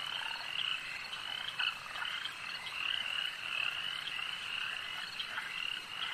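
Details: Dense frog chorus at a lake, many overlapping callers forming a steady high trilling band with brief bright whistled notes rising above it throughout.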